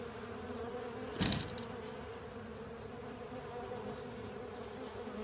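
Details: Many honey bees with other insects working over a honey filter, their wings making a continuous low drone; a sharp knock or clatter breaks in just after one second, then the even humming carries on.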